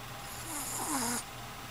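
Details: A dog named Whiskey gives one short, breathy snore lasting under a second, a hissing rasp with a faint falling whistle, in a quiet indoor room.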